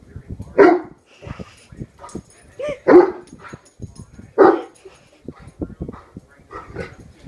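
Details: Worked up over a hairbrush, a one-year-old male Great Dane gives three deep, forceful barks about every two seconds, with human talking and scattered softer noises in the gaps.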